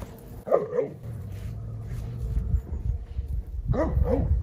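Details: Great Pyrenees dogs: male Alain, born 2014, turns harsh toward young female Belle, born 2022, after her shampoo changes her smell. Two short, harmonic bark-like yelps, one near the start and a pair near the end, over low indoor rumble.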